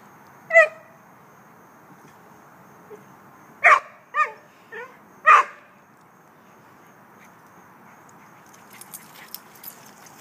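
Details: Dogs playing at a dog park, Katie with a young Rhodesian Ridgeback named Cosette: a few sharp barks and yips spaced irregularly over ten seconds, one loud bark, then a cluster of three, with quiet background between.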